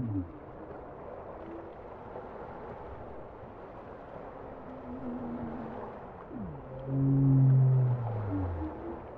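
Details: Calming bowhead whale song: a deep swoop descending at the start, faint wavering moans, then a downward sweep and a strong, loud harmonic moan near the end, all over steady low underwater rumble.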